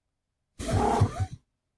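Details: A domestic cat gives a chirrup, a friendly trill subtype: a brief, throaty call rising in pitch at the end; cats trill mostly when happy or content, as a friendly greeting or acknowledgement.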